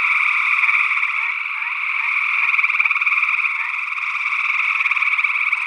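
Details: Northwest Wisconsin gray tree frogs, early June 2022, ORTF stereo condenser recording. A constant throbbing chorus of fast-pulsed trills with slight rises and falls in loudness. A second frog species, unidentified, may be heard.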